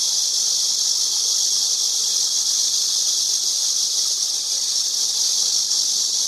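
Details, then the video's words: Cicada song heard as a constant sizzling high drone, steady in pitch and volume, with nothing else clearly heard. "매미 소리"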